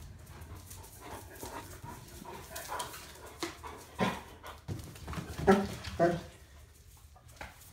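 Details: Two Standard Poodles, typical of their behaviour, wait excitedly for a visitor. Soft panting and scuffling give way to two short, sharp harmonic yelps about half a second apart near the end, then quieter breathing.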